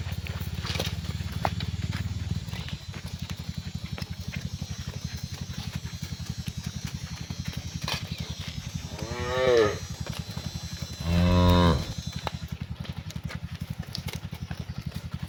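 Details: A cow gives two drawn-out, deep moos over a low rumble, calling to the rest of the herd, likely while cows are herded home to their barn in the afternoon.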